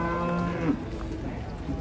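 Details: A steady, low moo with a clear stack of harmonics from one of a group of large, unusual cattle coming down from a truck at a busy livestock market in Indonesia; the low call lasts under a second, then market noise and talk follow.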